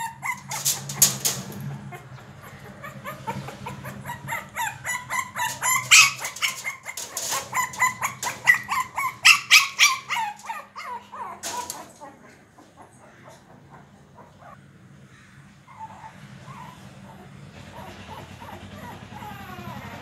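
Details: Shih Tzu puppy named Sandy barking while fighting with a door to get it open: a fast, irregular run of sharp barks and yips over the first twelve seconds, with a low steady hum underneath, then quieter shuffling.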